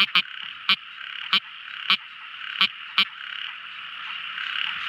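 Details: Tiny frog calling at night: six crisp, separate clicks at roughly half-second gaps over a constant high, shimmering chorus background.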